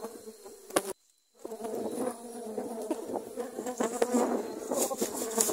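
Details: Dwarf honey bees swarming and attacking during grass cutting in Thailand; a dense, droning buzz with clicking taps and brief rustles, cut by a short silent gap near the start.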